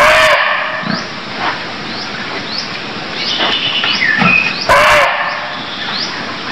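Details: Barking deer calling in Cambodia: short harsh harmonic cries at the start and near five seconds, with a brief tonal note between, over a steady backdrop of rapid repeated rising high chirps.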